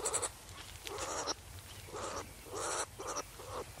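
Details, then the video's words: Wild skunks: short harsh nasal squeals in about six bursts, roughly every half second, bleat-like with a hissy upper edge and brief gaps of quiet between them. "What Sounds do SKUNKS make? | SKUNKS Sound Effect"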